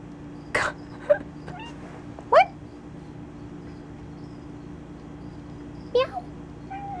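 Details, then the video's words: Kona, a pet cat sitting in a box, talking: three short rising meow-chirps spaced a couple of seconds apart, with a few soft clicks and a steady low hum in the background. "Kona Talking in a Box"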